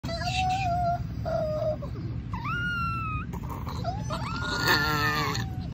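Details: Tiny baby Chihuahua puppy howling: thin, high, wavering tones, some flat and some swooping upward then holding, in a series of short howls separated by brief pauses, over a low background rumble.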